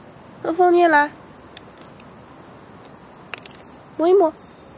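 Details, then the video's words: Two cats named Fengfeng and Huangxiaomi out for a walk in a garden in Beijing, early morning, 13 August 2013: a half-second arched meow, then after a pause of about three seconds a shorter, softer meow, with faint clicks between. "Walk two cats in the garden"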